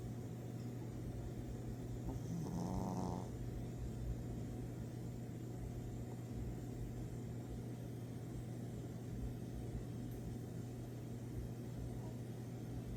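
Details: A pet dog asleep and snoring: a steady low, rough rumbling runs through the whole stretch over a constant electrical-sounding hum, with a short tonal squeak near the three-second mark.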